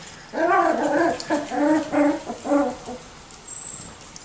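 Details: Young Miniature Schnauzers of the Custards and Puddings litters, 6 and 4 weeks old, produce a run of about six clear, tonal yips over three seconds, wavering slightly in pitch and fading toward silence.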